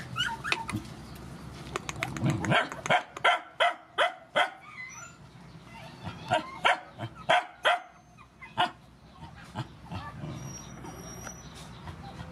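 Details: Barking from rescued dogs as mother dogs and puppies are fed: a run of sharp, punchy barks, roughly three per second for a stretch, then looser and scattered, with faint whines and bustle behind.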